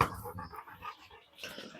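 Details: Dog at a dog-breeding farm kennel, giving a quick run of short, high, whining yelps, about six or seven in under two seconds, fairly quiet, with faint rustling and a slightly roomy indoor feel.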